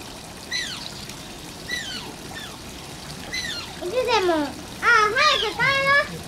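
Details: Shishimaru, an Asian small-clawed otter at Oji Zoo, Japan, gives falling whistled whines, then louder, fuller wavering squeals in quick bursts over trickling water.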